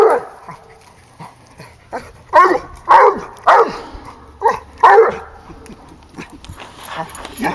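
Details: Hound dog, a 16-month-old female, baying at a raccoon she has treed; irregular harmonic barks of varying loudness, some softer and distant-sounding, with another dog around and a person's voice encouraging her.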